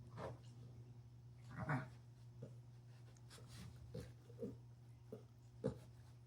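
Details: Female Frenchie pug puppy, nine months old, entertaining herself with a ball indoors: a loud snuffling snort, then a series of short huffing grunts every half second to second, over a constant low hum.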